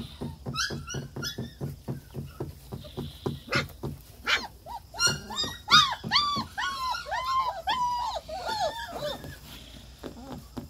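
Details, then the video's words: German Shepherd pups: a run of quick clicking or scratching taps first, then several puppies join in with high, arching whines and squeals that overlap and then fade toward the end. "German Shepherd Pups"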